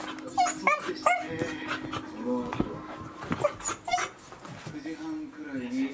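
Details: Welsh Corgis on December 4, 2020: high whimpers and short yelps scattered among human speech, with a low humming tone running through.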